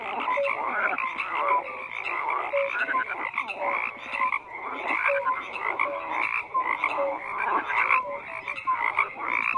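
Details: Steady frog chorus of many overlapping croakers, rough pulsed calls rising and falling in loudness, punctuated by short tonal peeps every second or so.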